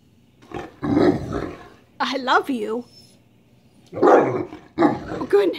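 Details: Great Dane vocalizing while begging for a share of a sandwich: a short, wavering, whiny yodel that rises and falls between stretches of a woman scolding and telling the dog the lunch is hers.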